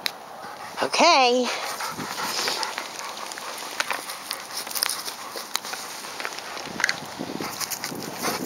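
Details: Einstein the retriever, a pet dog, playing outdoors on the day after Christmas 2010 while waiting for a big storm; one short, wavering, high whine rises and dips, then shuffling, rustling noise and a person urging the dog on.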